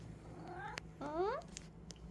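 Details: Sphynx cat giving two meows, the first short and wavering, the second a louder rising-then-falling harmonic meow about half a second long, with a faint steady hum underneath.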